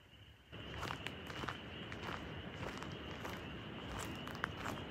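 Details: Spring peepers (Pseudacris crucifer) at a lakeside campsite on Gun Lake, Haliburton Highlands, in the evening form a steady chorus, a continuous high, shrill ringing, while footsteps crunch loudly in the foreground.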